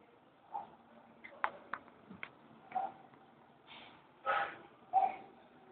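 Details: Kitten named Orestis playing with his teddy bear indoors, giving a series of short, high mews and squeaks, a few bright calls clustered near the end, in a quiet room.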